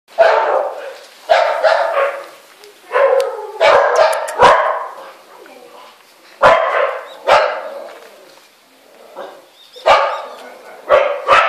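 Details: A scared Samoyed mix dog giving loud, harsh barks in bursts of several at a time, with short quiet gaps and sharp clicks between bursts.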